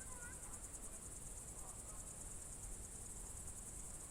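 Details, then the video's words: Crickets trilling on a summer evening, June 2023, in the Novye Buregi tract of Novgorod Oblast, Russia: an unbroken, very high, rapidly pulsed shrill tone with a low rural background hum. "Звуки природы , сверчки, июнь 23г."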